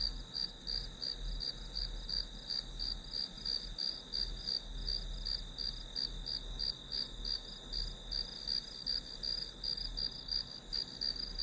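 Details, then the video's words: Grass insects as white noise for studying, sounding a steady high-pitched ring overlaid with quick regular chirps, roughly three per second, continuing evenly throughout with a soft low hum underneath. "풀벌레 소리"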